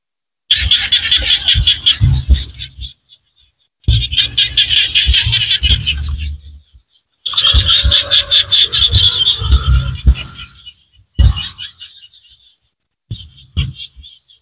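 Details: Small frogs in Cambodian rice-field country give long, rapid, rattling trills in several bursts separated by abrupt pauses, high and buzzy, with shorter trill fragments near the end and low rumbling noise beneath.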